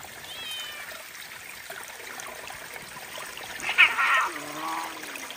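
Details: Domestic cat beside cold mountain spring water on a hot day; faint high meows rise and fall near the start, then a louder short meow mid-clip followed by a lower drawn-out tone, over steady trickling water.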